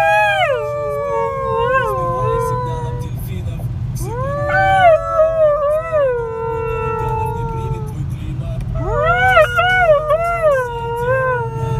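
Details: Siberian Husky Hasya, aged one and a half, sings along in a moving car in Ekaterinburg, Russia, 26 January 2018. Three drawn-out howls, each swooping up then sliding slowly down with warbling bends, over a low road rumble.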